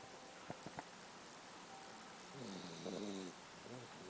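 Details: Sleeping puppy snoring softly: a single short, nasal, harmonic snore rises and falls over about a second, then quiet breathing against a steady hiss of background noise.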